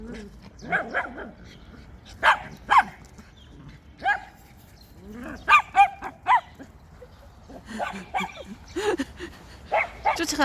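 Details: Dogs, a schnauzer and a West Highland White Terrier, filmed on 4 January 2020: short sharp barks in clusters, some doubled, with soft whines between them and a woman talking over the dogs throughout.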